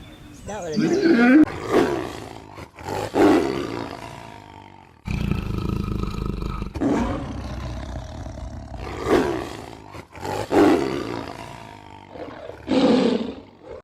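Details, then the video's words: Male lion roaring to project strength and dominance and to guard territory from rivals; a series of short, grunting roar bursts roughly every one to two seconds with a steady low rumble between. "Le Bruit Du Lion / Le Rugissement Du Lion"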